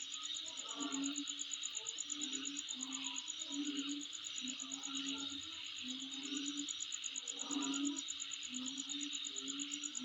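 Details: Insects calling in someone's home surroundings: a steady high shrill buzz under a fast, even pulsing trill, with low droning tones that swell and fade every few seconds.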